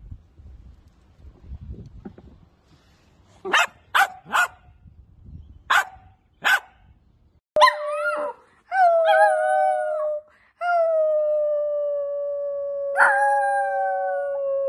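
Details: Wiener dog, a Dachshund, firing off a handful of quick sharp barks over low rumbling noise, then breaking into long, steady, drawn-out howls held for several seconds each.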